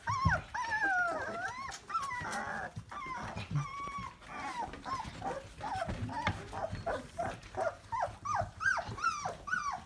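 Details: Litter of 24-day-old Labrador Retriever puppies at a German breeder, lively and squeaky; a dense chorus of high, squealing whines rising and falling, overlapping rapidly, with short yelps growing quicker toward the end.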